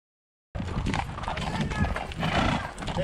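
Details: Horse whinny as mares approach with their stallion along a riding route in the Basque Country, Spain; a short tonal neigh rises out of a steady rustle and clatter of hooves, with people's voices close by.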